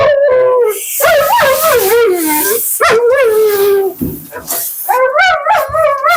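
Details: Female Husky Mila keeps up nonstop commentary while being bathed and blown out, giving whiny, yodelling howls that bend up and down in short bursts, with harsh rushing water or dryer noise filling the gaps.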